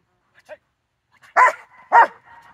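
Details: Rottweiler recorded on 4 September 2022 giving two loud, short, gruff barks about half a second apart, preceded by a faint brief yelp, with quiet surroundings.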